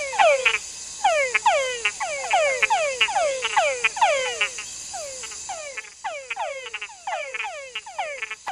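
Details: A chorus of male túngara frogs in the rainforest gives repeated mating calls: sharply descending whines, each sliding down like a falling whistle, sometimes followed by clicking chucks.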